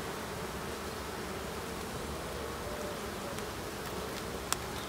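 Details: Steady colony drone from honey bee hives opened for a late-summer check on 22 September, an even, noisy buzz with a low sustained tone and a single sharp click near the end.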